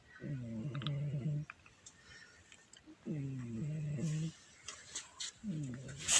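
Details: Domestic pet cat snoring loudly: deep, rough, harmonic snores about a second long, repeating roughly every two and a half seconds with quiet breaths between.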